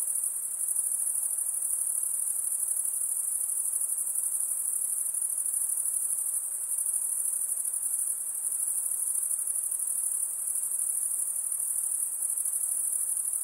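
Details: High-pitched insects in a steady, unbroken shrill trill held at one very high pitch, droning continuously throughout with faint low hiss beneath, calm lakeside setting.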